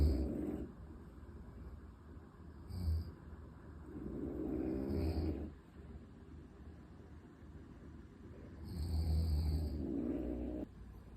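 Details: Unita, a French Bulldog sleeping belly-up beside a gorilla in the same pose, snores loudly in a chorus that lasts until morning. Rumbling snores with hissing exhales repeat every few seconds.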